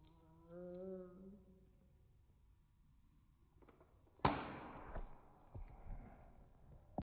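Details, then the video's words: Pet cat meowing in slow motion: a drawn-out, low harmonic meow with wavering tone in the first second and a half, then quiet, followed by a sharp thump and rustling. "My cat meowing in slow Mo."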